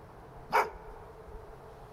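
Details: One short, sharp bark from a pet dog barking without apparent cause, a single loud burst standing out against a quiet background.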